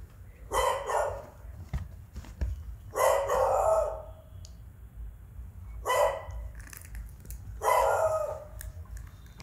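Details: An adult beagle gives four loud, drawn-out baying barks spaced a few seconds apart, scaring a beagle puppy.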